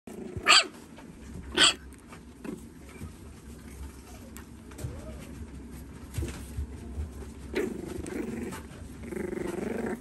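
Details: French Bulldog puppy described as a little crybaby, giving two sharp high yelps early on, then quieter whimpering sounds and soft rustling indoors.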